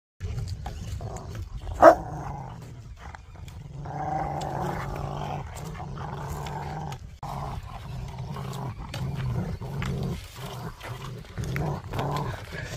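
A Rottweiler growls in long, deep, rumbling bursts, with a sharp bark or yelp near the start.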